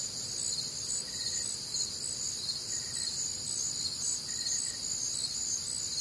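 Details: Warm, humid Midwestern summer night with crickets: a constant high, pulsing trill chorus, plus a quieter, lower short chirp returning about every one and a half seconds in the background.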